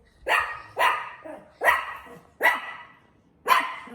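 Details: Dog giving five loud, sharp barks spaced roughly a second apart, each a harsh burst that fades quickly, with quiet pauses in between.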